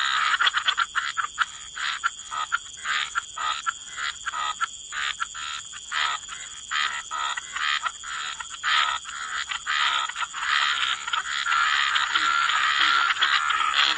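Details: Frogs croaking in wetland ambience, rapid clicking, rattling croaks about two per second at first, merging later into a dense continuous chorus with faint whistled notes and a steady hiss.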